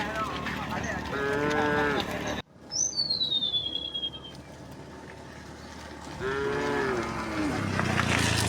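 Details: Tame cows walking through a quiet village road toward rice fields, mooing along the way; two sustained harmonic moos with a quiet gap between them, and a high descending bird whistle in the pause.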